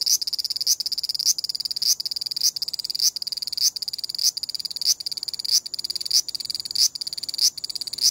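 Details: Large brown cicada giving a harsh grating 'gii gii gii' series, buzzy bursts repeating about every 0.6 seconds in a steady rhythm. This broken pattern accompanies the insect moving about. Recorded on a compact digital camera.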